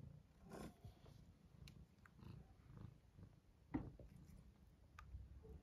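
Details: Pablo the British Shorthair cat, born May 2023, waking up and eating; soft low purring under chewing clicks and small sharp noises, one brief louder tap near the middle.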